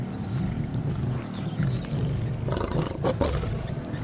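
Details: Lion of the Luangwa pride in the wild: a deep, continuous low rumbling roar with a throaty growling texture sustained for about four seconds, with no voices over it.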